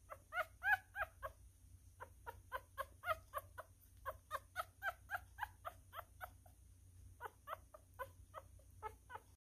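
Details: A newborn miniature schnauzer, male, feeding and making a mess, squeaks almost nonstop; quick repeated whimpering squeals come several per second in long runs, with a brief pause near six seconds, over a low steady hum.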